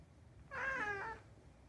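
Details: Unagi-kun, a rescued pet cat known for chatting, utters one brief meow that rises slightly and then falls, heard over a faint low hum.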